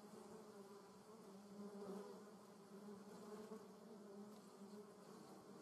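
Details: Buzzing German yellowjackets (Vespula germanica), several wasps together. A constant low droning hum with an overtone, wavering in pitch, swelling around the middle and staying even to the end.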